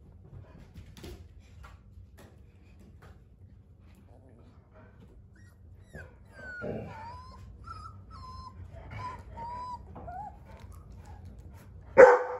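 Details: Three-week-old Dogo Argentino puppies indoors: after a quiet stretch, a series of thin wavering whines rising and falling, a soft voice in the background, then one abrupt sharp yap at the end.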